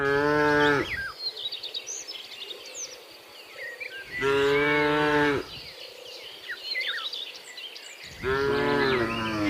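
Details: Tame cattle driven to their pen give repeated loud moos, one at the start, another around four seconds and a third near eight seconds, each lasting about a second, with steady bird chirps and twitters between.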